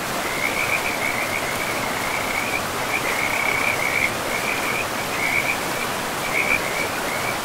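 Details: Frogs calling beside a river in a pristine, moss-covered forest: a steady string of short, high, buzzy trills repeated every second or so, running over a constant loud rush of flowing water.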